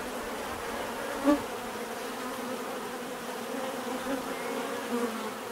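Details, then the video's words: Bees buzzing in a constant droning hum, one insect zipping close by just after the first second with a short louder whine, then smaller swells near the end over the even background buzz. "bees therapy relaxing natural buzzing sound"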